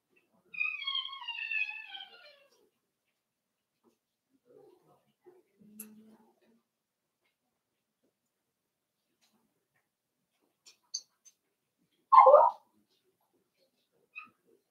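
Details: Five-week-old Cavalier King Charles Spaniel puppies from Daisy's litter, indoors in a puppy pen: one high, drawn-out whine slides slowly downward for about two seconds, then near silence broken by faint shuffling and a single brief knock.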